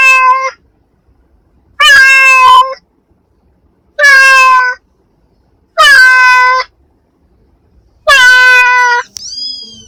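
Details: Domestic cat giving five loud, evenly spaced meows about every two seconds, each a drawn-out, slightly falling wail rich in overtones, followed by a faint higher chirping sound at the end.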